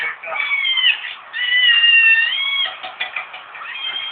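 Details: Kitten meowing: a run of high, drawn-out harmonic meows, some rising and falling, one held steady for over a second, with short breaks between calls.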